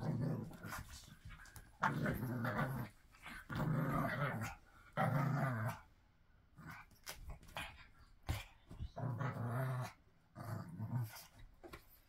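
A pug gives a string of coarse, throaty snorts and grunts, each lasting about a second.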